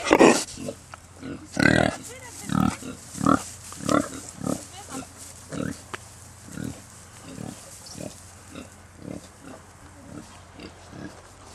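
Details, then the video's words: Baby Kunekune pigs from a new litter on a farm estate: loud opening squeals, then a series of short grunts, about one every second and a half, fading gradually. "Bébés Cochons Kunekune"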